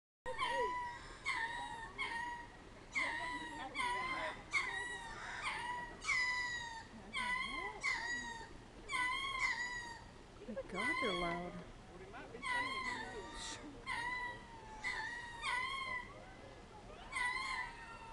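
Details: Ring-tailed lemurs on Lemur Island at the North Carolina Zoo, 18 June 2010, possibly upset after a fight between red ruffed lemurs, give loud wavering, harmonic wails and yelps. Several animals call in overlapping bursts about every second.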